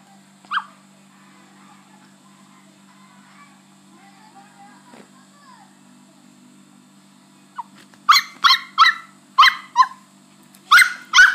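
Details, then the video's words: Chihuahua named Milky, three days after hernia surgery, giving a run of sharp high yelps in quick succession near the end after a long quiet stretch with one early cry; steady low hum underneath. "My chihuahua (milky) like this for 3 days after hernia surgery."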